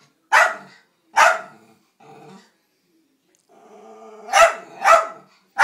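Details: Pet Dachshund Bandit barks at the vacuum cleaner, loud sharp barks spaced about a second apart, a low rumbling growl between bursts, then a rapid double bark and another at the end.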